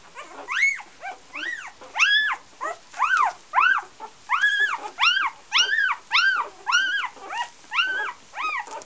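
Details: Puppies from an Icelandic Golden Retriever litter sired by Josh out of Gabriella whine steadily. Loud, arching cries with strong overtones repeat roughly every half second throughout, with a few fainter yelps in between.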